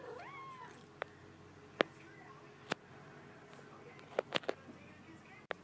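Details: A chatty male kitten gives a short, talkative meow that rises and then falls, followed by scattered clicks and taps.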